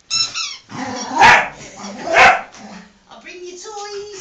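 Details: Pet Scottish Terrier greeting indoors: a high whine, two loud barks about a second apart, then softer tonal whimpers over a man's voice.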